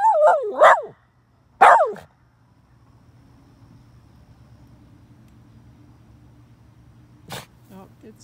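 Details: Miniature red poodle howling at other dogs: two short wavering howl-yelps in the first two seconds, then near silence with a low hum and a sharp click near the end.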